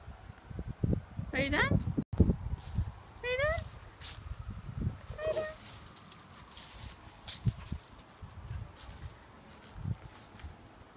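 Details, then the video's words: A Miniature Schnauzer howls at a passing ambulance in short, wavering howls that rise and fall in pitch, with a person speaking nearby. "Zelda the miniature schnauzer howling"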